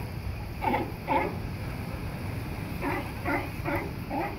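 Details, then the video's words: At La Jolla Cove, San Diego, California, sea lion barks come in short, hoarse bursts: a pair, a pause, then a quicker run of four. "Barking Sea Lions Seals at La Jolla Cove San Diego California"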